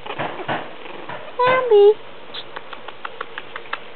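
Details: Bambi, a five-week-old female French Bulldog puppy, gives one short tonal whine of about half a second, level then dropping and ending in a louder squeal, while a person coaxes her down a step; soft pattering of paws follows.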